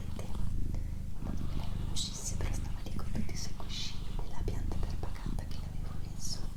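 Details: Low continuous purring from Doroti, a female house cat, recorded in a small indoor room, the deep rumble pulsing gently while a person whispers softly on top with occasional brief hissing sibilants.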